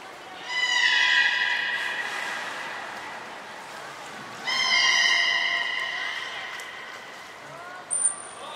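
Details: Belugas Mirai and Nico during a training session at the Port of Nagoya Public Aquarium, 20 February 2021: two drawn-out, harmonic, nasal calls about four seconds apart, each slowly sagging in pitch, and a brief high whistle tone near the end.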